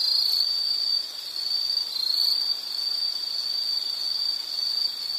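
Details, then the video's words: Insect trill, a nature sound for relaxation: one continuous high-pitched ringing tone that wavers slightly in loudness, with a faint higher chirping layer above it. "Nature Sound of nature sounds scenery L · insect"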